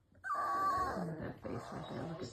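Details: Presa Canario puppies cooing themselves to sleep, possibly cold: a thin, high, held whine of about half a second, then softer low grumbling murmurs trailing off.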